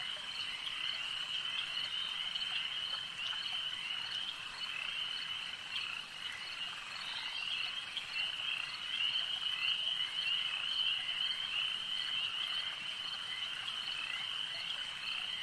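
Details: At a lake, a thick chorus of frogs produces a continuous shrill trilling hum, swelling slightly louder midway, with faint scattered chirps layered over the drone.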